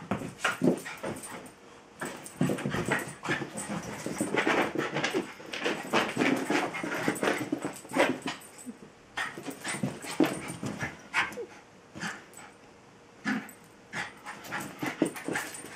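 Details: Trying every trick to get Bilbo the Welsh Terrier to play, Tinkerbell the Jack Russell keeps up a long run of excited barks, yelps and whimpers in busy bursts, broken by brief quiet gaps.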